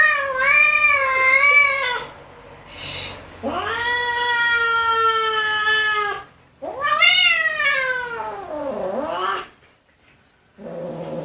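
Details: Kittens meowing in a series of long, wavering, harmonic-rich meows, some sliding down then up in pitch, separated by short pauses, with a brief breathy noise between calls.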